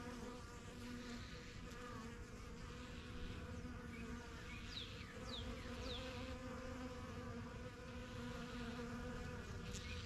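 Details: Continuous low drone of honey bees circling their new backyard hive, the strongest of the first colonies, with a few quick, high, falling chirps from birds in the middle.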